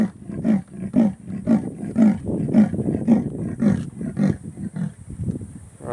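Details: Leopard giving its territorial call at Elephant Plains: a rhythmic series of deep, rasping sawing grunts, about two per second, slowly fading toward the end, with a steady high insect hiss behind.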